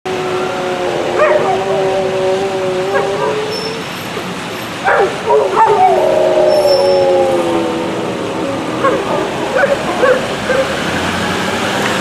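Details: Two dogs howling while it rains: drawn-out wavering howls, some overlapping, rising and falling in pitch, with short yips between, over a steady hiss of rain.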